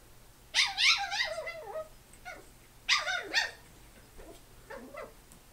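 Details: Young male chi-poo puppy going crazy indoors, letting out two bursts of shrill, high-pitched yips and wavering whiny barks, each burst a quick tumble of notes, then softer scattered yelps trailing off.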